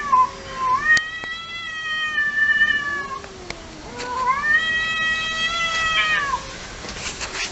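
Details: Two long, steady caterwauls from fighting cats, each held for around two seconds with rich harmonics, the second swelling and arching before cutting off, with faint clicks and a low background hum.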